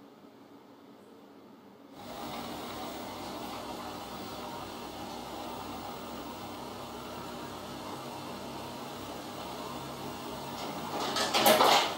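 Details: Steady broadband hum like a fan or vacuum cleaner starts after two seconds of near silence and runs on, with a brief louder burst at the end and no animal sound.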